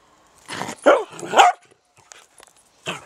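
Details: Dachshund on an allotment plot: a brief bark followed by two strained, yelping barks that bend in pitch. A short pause, then one more clipped bark.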